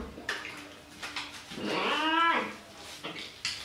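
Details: Pet cat during a bath in the bathroom, one long rising-then-falling meow in the middle, with water splashes and handling knocks around it.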